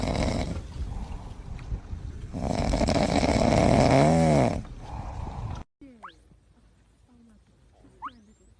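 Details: Playing seals: a loud droning rumble carries one wavering, moaning call in its middle, then the noise cuts out to quiet, where thin rising squeaks sound twice.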